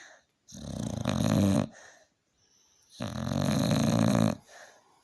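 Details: Worn-out Staffordshire Bull Terrier snoring very loudly: two deep, raspy, buzzing snores about three seconds apart, each trailing into a soft breathy exhale.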